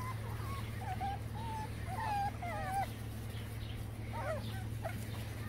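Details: Several young Boston Terrier puppies from one litter whine in thin, wavering cries, many overlapping squeaks rising and falling throughout, with a constant low electrical hum underneath.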